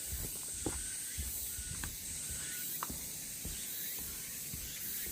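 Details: On the Deogeumsan Sollbaram trail in Namwon, 16 August 2019, cicadas keep up an even, high, hissing drone. Walking footsteps thud underneath, with a few brief short tones in the middle.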